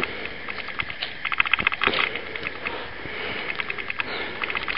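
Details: Raccoon eating watermelon: rapid wet clicking and smacking bursts with sniffing, loudest around the second mark, trailing into softer irregular crunches.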